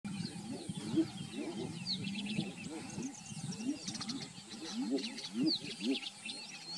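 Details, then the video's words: Several male Edible Bullfrogs calling while chasing one another; a dense chorus of short, low, gruff croaks overlapping continuously, with higher chirping and clicking sounds faintly above. "Edible Bullfrogs (Pyxicephalus edulis) calling."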